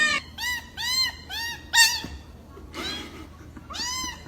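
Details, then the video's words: Cat giving odd, repeated arched meows, each rising then falling, about one every half second, strained and nasal, with a short harsher cry partway through. "WEIRD CAT SOUNDS"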